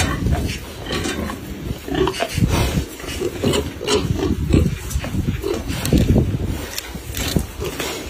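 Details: Feeding sow giving dense low grunting and snuffling sounds almost continuously, with crunching and rustling from eating.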